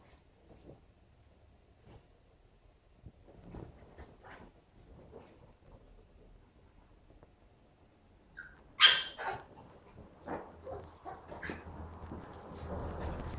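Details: West Highland White Terrier puppy Stella, two and a half months old, playing alongside three-year-old Nappy: quiet shuffling, then a sudden high, sharp whining yelp late on, followed by scattered scuffles and small yips.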